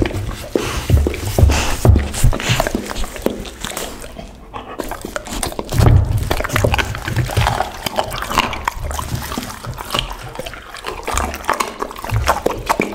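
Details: Pit bull at lunch on raw chicken, duck and cauliflower: irregular crunching bites and wet smacking, loud low thumps around two and six seconds, a short quiet gap near four seconds.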